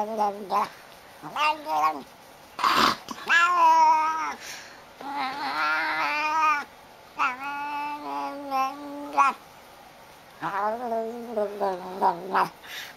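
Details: Domestic cat vocalising in a funny compilation of talking cats: a series of drawn-out, wavering meows and yowls with short pauses, one sharp noise midway, and faint background sounds.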